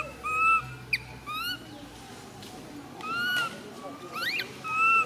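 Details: Little female monkey MoMo cries while falling down. Drawn-out whimpering coos come a few at a time, separated by quieter gaps, with faint background murmur.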